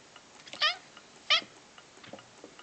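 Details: Indoor male pet cat prompted repeatedly to say "kva" answers with two short, sharp meows about two-thirds of a second apart, each dropping in pitch, amid faint room noises and soft clicks.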